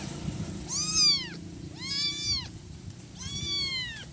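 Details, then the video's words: One-week-old kitten calling for its mother: three high, arched meows, each rising then falling, about a second apart, over a low background rumble. "Cat meowing sound effect - 1 week old cat calling mommy."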